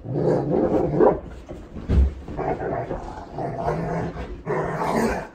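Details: Hatch, a seven-year-old female Golden Retriever, grumbles while being shampooed with dog soap. Low, rumbling, moaning vocalisations rise and fall in several drawn-out phrases, with a sharp thump near the middle.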